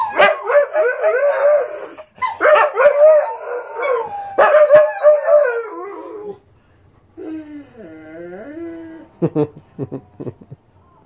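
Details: Two Siberian Huskies sing together in repeated wavering howls, three bursts of overlapping voices about two seconds each, then a quieter, lower sliding howl and a few short yips near the end.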